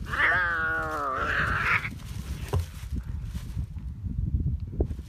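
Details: Cats in a fierce fight: one drawn-out, wavering yowl with rich harmonics lasts nearly two seconds, then gives way to low scuffling thumps and rustling.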